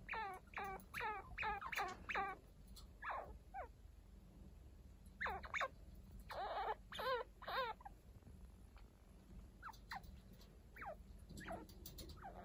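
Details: Indoor chinchilla family: one-week-old kits Hinata and Ryo tended by foster chinchilla Kaito. Repeated trembling squeaks in quick rows, a steady series early, scattered groups later, fainter near the end, with light rustling.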